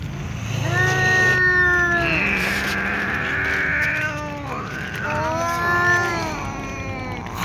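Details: Two ginger cats, one little and lying down exhausted while a newly arrived ginger cat comes back; long harmonic meows, some drawn out and falling, follow one another closely, over a steady low rumble of traffic.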